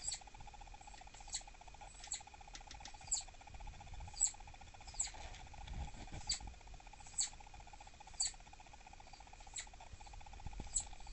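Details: Dahan, a kept southern flying squirrel acting aggressive and annoyed, perhaps due to pregnancy, gives an irregular run of about a dozen piercing high chirps. Faint low rumbling and a constant hum sit underneath.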